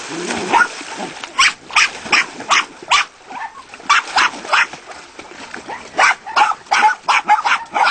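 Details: At the Castell'Anselmo kennel, Jack Russell terriers keep up a rapid, excited volley of high, sharp barks, close to three per second, with hardly a pause across eight seconds.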